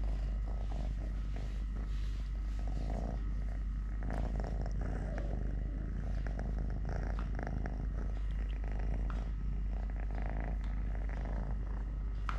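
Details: A domestic cat named Totoshka, male, missing one leg since birth, gives a long even low-pitched purr, rhythmically pulsing without pause, accompanied by occasional sharp clicks and rustling movement sounds.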